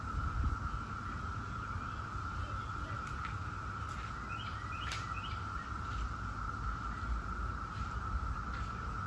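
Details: Periodical cicadas of the 17-year Brood X, heard as a steady, unbroken droning chorus at one even pitch. Scattered bird chirps and a low rumble of background noise sit beneath it.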